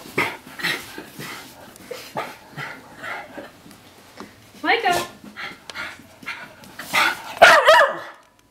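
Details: Miniature Schnauzer freaking out after a bath; irregular short barks and yips several times a second, a few rising whiny yelps near the end, with people's voices mixed in.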